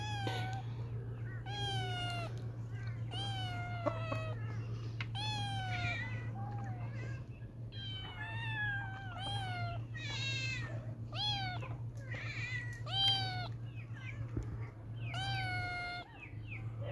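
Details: Playful kittens mewing repeatedly, a series of high, bright, rising-then-falling meows roughly every second, some overlapping, over a steady low hum in the background.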